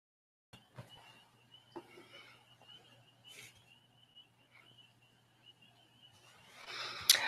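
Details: After sunset, a distant chorus of mating spring peepers outside forms a steady, high, shrill ringing of overlapping peeps.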